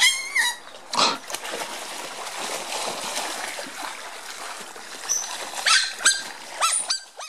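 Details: Smooth-coated otters (Lutrogale perspicillata) play-fighting roughly in their zoo pond give high, harmonic squeaks and arched chirps over steady splashing water.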